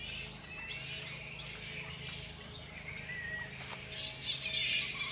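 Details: Thousand-strong bat colony in a tropical park near the Sunshine Coast in Queensland, Australia, heard close to the roost trees: a constant wash of shrill squeaking and chittering, with a thin whistled note and a steady high hiss behind.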